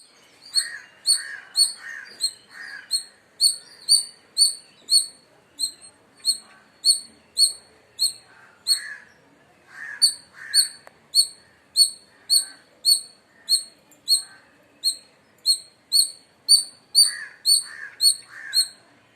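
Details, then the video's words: Indian palm squirrel in India chirping loudly: sharp, high, ringing chips repeated about twice a second in a steady run. Lower, softer chattering bursts break in at intervals. "Loud Squirrel Chirping Sounds | Indian Squirrel Sound"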